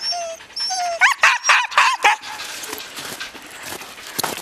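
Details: Siberian Husky yearlings with an older dog, Ravn, during a 2011 spring outing. A quick burst of four or five bent, yelping whines, then a faint thin whimper and quieter background sounds.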